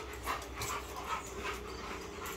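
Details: American Bully named Akin during focus training, panting in soft, breathy bursts that come roughly every half second, over a steady low hum in the background.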